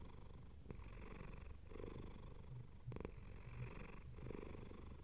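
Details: Close, soft purring from a contented pet cat: a low buzzing rumble in even breath cycles near one second apart, quiet indoor setting.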